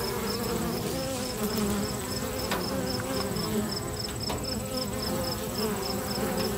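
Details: Bees active at a local bee box make a steady low buzzing drone, while a thin, high, rapidly pulsed chirping repeats evenly in the background throughout.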